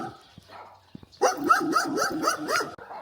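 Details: A dog in a cold Chinese border village on the Heilong River, Jiaxin County, Heilongjiang, after sunset at about 7-8°C, barks a quick burst of about six sharp, fairly high barks, roughly four a second. Finding: dog.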